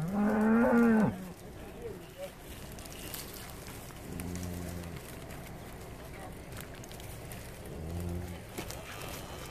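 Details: Eleven Hereford cattle with calves, shipped to Skarø, Denmark, for summer grazing, 13 April 2016: a strong higher-pitched moo opens, followed by two low, shorter moos, outdoor ambience.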